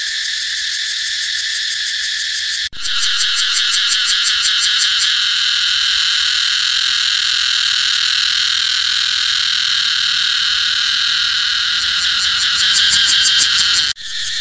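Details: Cicada song, a loud continuous buzzing drone with bright harmonic bands, briefly broken by a sharp cut near three seconds, then resuming with rapid pulsing before settling into a steady shrill hum.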